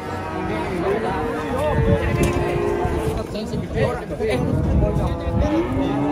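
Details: Young cattle in Indonesia lowing in short, arching moos, several overlapping, amid background music and some talking.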